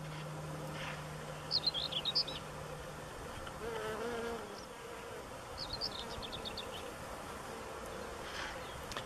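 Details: Honey bees collecting pollen on sulphur cinquefoil flowers at Törökbálint on 11 June 2016, late morning. A low, steady buzz hums for about three seconds, while bright twittering bird chirps sound in the background.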